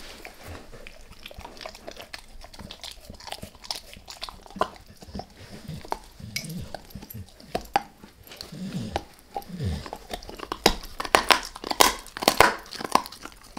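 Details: A dog named Max working at a beef rib, with scattered sharp bites and soft licking sounds that build into louder, tightly clustered crunches toward the end.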